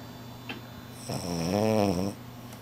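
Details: Shila, a French Bulldog, snores through a midday nap: one single drawn-out, rattling snore of about a second, wavering slightly in pitch, over a faint steady low hum.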